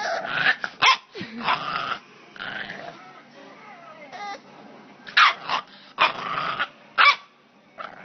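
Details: Grumpy bulldog puppy giving short, rough, broadband grumbling barks and growls in bursts, separated by quieter gaps, with a person's voice nearby.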